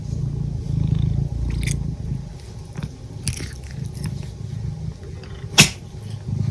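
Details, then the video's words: Pet cat purring in a low, steady rumble, broken by small clicks and mouth noises, with one sharp sneeze-like burst near the end. "cat purrs, yawns, and sneezes"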